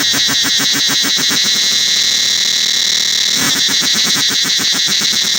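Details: Cicadas drone loudly in a continuous, high-pitched buzzing chorus with a rapid pulsing rhythm, throughout the forest at Angkor Wat temple.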